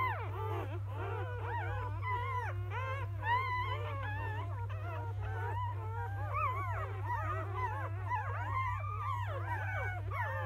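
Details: Several newborn field-line Labrador Retriever pups, born to 2017 JFA Grand Champion biscuit, after nursing at morning: busy chorus of thin, bending whines and short yips, almost unbroken, against a steady low droning hum.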